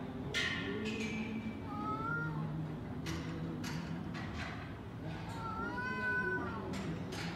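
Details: Street cats arguing loudly outside: short sharp yelps and a thin descending whine, then drawn-out wavering yowls, with intermittent bursts of noise and a constant low hum behind.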